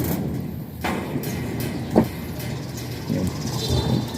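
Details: Passing vehicle noise with a low rumble, a brief sharp knock near the second mark and faint voices; no animal sound is heard.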